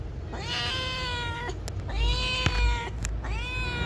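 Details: Responsive pet cat meowing in conversation: three long, clear meows in quick succession, each rising then gently falling, with a faint low hum underneath.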